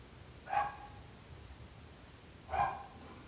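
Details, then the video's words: {'_': 'Two single sharp dog barks two seconds apart, separated by near silence with low background noise.'} "26 minuts gossos lladrant / 26 minutes barking dogs."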